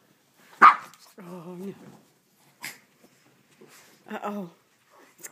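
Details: Rusty, a pet Shih Tzu, growls indoors at his bath towel, as he does at every bath: a sharp thump, then two drawn-out harmonic grumbles under half a second each, with a person talking to him in between.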